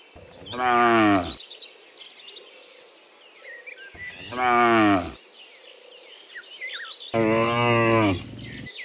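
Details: Cows among dozens returning from the fields to the pen in the afternoon give three full, harmonic moos spaced a few seconds apart, the last one rougher, over a background of chirping birds.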